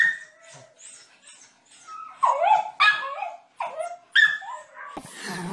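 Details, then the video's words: Playful pet dogs barking for fun: faint high yips give way to louder, whining barks with bending pitch, ending in a burst of broadband noise. "Dogs barking out loud for fun happy dogs"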